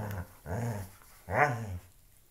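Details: Loki, a dog playing with a shoe, gives two short rumbling growls, the second rising into a brief higher whine-like edge before fading.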